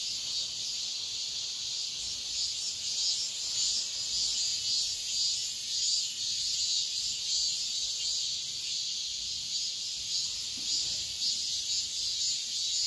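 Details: Dawn in the height of summer, with cicadas droning together in a bright, continuous high buzz, pulsing softly and steadily from start to finish.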